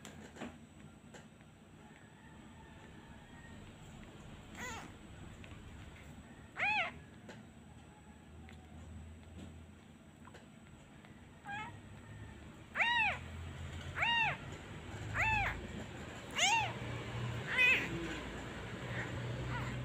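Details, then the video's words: Abandoned kitten missing its mother, crying whenever a hand is taken away: a run of short, high, arched mews, sparse at first and then coming roughly once a second in the second half, against a faint background hum. "Abandon Kitten Part 2 He cries everytime I removed my hand. He really miss his mother."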